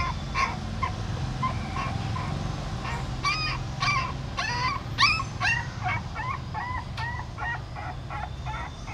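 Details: A mother dog at a pagoda in Siem Reap shifts her new puppies one by one in her mouth. Thin, whining cries start sparse, then come fast and regular, each a short bent squeal, over a dull, steady background hum.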